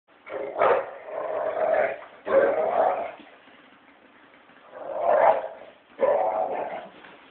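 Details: Two American Pit Bull Terriers at play, a five-year-old male and a puppy from his first litter, both very vocal and growling as they play: rough, rumbling growl bursts in four loud bouts separated by quieter gaps.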